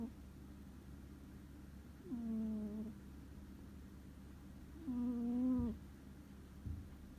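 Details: Ku the house cat in deep sleep, snoring audibly: two drawn-out, humming low snores with a slight upward glide at the start, spaced about three seconds apart, over quiet indoor background.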